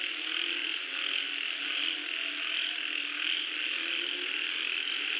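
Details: Frog chorus during falling rain, many callers croaking together in a thick, continuous rattling wash that swells and eases slightly every second or so.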